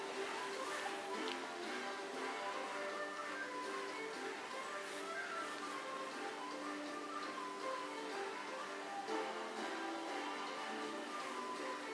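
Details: Steady guitar and string music plays throughout with no other sounds.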